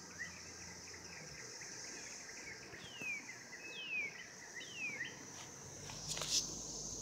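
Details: Cicadas calling for mating in 2016: a high, steady buzzing drone with a few falling whistled sweeps, ending in a brief sharp crackle of noise.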